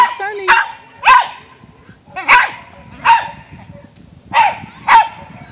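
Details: Bungie the dog, out for exercise chasing a teasing squirrel that keeps circling and coming down for more, barks loudly six times in about five seconds, each bark sharp and high, with a person's voice in between.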